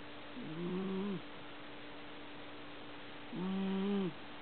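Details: Sleeping house cat giving two loud, low, grating snores, each about a second long, with a short quiet pause between them and a steady faint hum behind.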